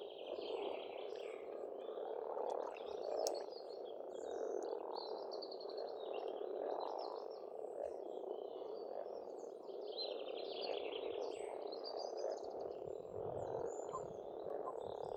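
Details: Massed frogs croak without pause at an Estonian countryside pond in spring, a steady dense chorus, while songbirds twitter and whistle repeatedly in the background.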